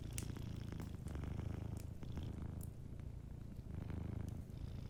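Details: Sleeping cat purring gently, its low buzzing rumble swelling and fading with each breath, faint fire crackles and small rustles underneath.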